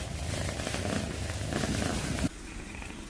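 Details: Cat purring as a throaty, rapidly pulsing low rumble that cuts off abruptly into a much quieter purr near the end.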